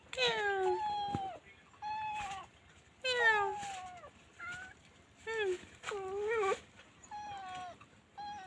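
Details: Stray domestic cats, kittens with their mother: repeated harmonic meows, some falling, some rising then falling, in bursts about every one to two seconds, with short gaps and faint background noise between calls.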